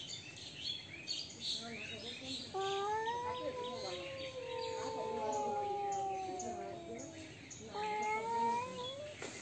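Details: Cats in a fight trade drawn-out moaning yowls. Two long tones overlap and slide against each other for several seconds, then a fresh rising yowl starts near the end. Bird chirps sound faintly behind.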